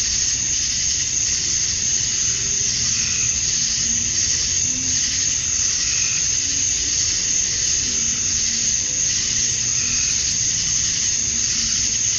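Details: In Georgia, USA, on a summer evening at dusk, male cicadas chirp to draw females: a steady piercing buzz fills the air without pause, while soft low warbling notes drift faintly underneath.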